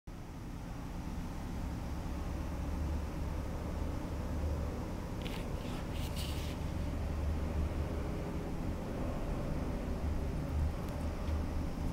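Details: Steady low engine and traffic rumble throughout, with a few brief hissing bursts near the middle; no animal voice is heard.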